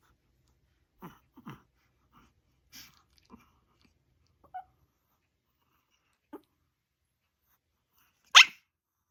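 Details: Chihuahua startled by its own sneeze: faint sniffs and small breathy snorts through a quiet indoor room, then one sharp, loud sneeze burst near the end.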